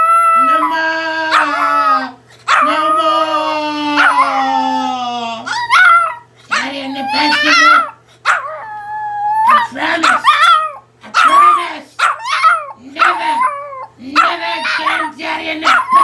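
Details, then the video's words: Pomeranian puppy Giovanni crying after being scolded for biting: long, wavering whines that slide downward, repeated in bursts with short gaps, interleaved with a man's voice talking over the dog. "Cutest Pomeranian puppy swears he no bites then cries funny"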